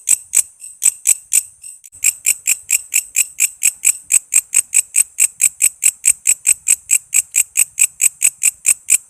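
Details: Katydid known locally as walang kece, used as a master sound for songbirds: bright, piercing ticks repeated steadily about twice a second after a brief early gap, the pulses growing slightly louder.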